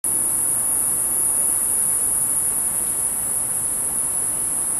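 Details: Cicada singing about ten feet away, captured with a handheld telephoto lens: a thin, piercing, very high whine held at one steady pitch throughout, over a faint low background rumble.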